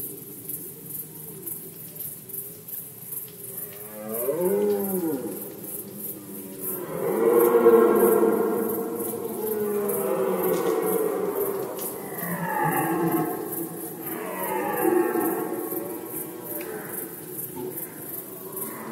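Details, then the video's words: A Polish red deer in the 2020 rut gives a series of roars. The first is a short groan near four seconds, followed by a long, loud, throaty bellow, then two more descending roars spaced a few seconds apart. "Rykowisko jeleni, Rut season of Red Deer"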